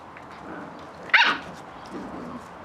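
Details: Playing Catalan Sheepdog pups, the litter of Bonny and Elgoche, give a single short, high, sudden yap midway through an otherwise quiet stretch of faint background hum.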